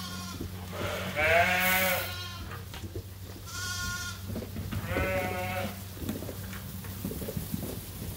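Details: Farm sheep at Ewetopia Farms waiting for their feed during daily chores: three wavering, harmonic bleats about two seconds apart, the first loudest, with a steady low hum and light rustling behind.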